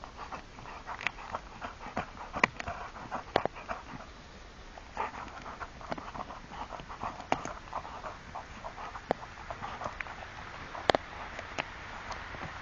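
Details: Rottweiler Kenzo in a forest at Nienburg with his 'little stick': soft, rhythmic breathy panting, fairly quiet, broken by sharp clicks and rustles of movement on the woodland ground.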